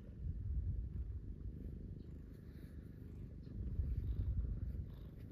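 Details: Domestic cats snuggled in bed with a person in the morning, one being stroked; a steady, low, rumbling purr runs continuously, swelling slightly in places, with faint rustling of bedding.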